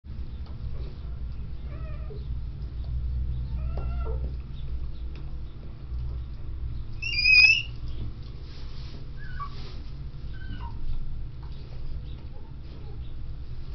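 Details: Newborn endangered red wolf pups, two so far, born at a zoo while their mother is still in labor, give brief, high-pitched squeals and whimpers, one louder wavering squeak standing out, over a constant low mechanical hum.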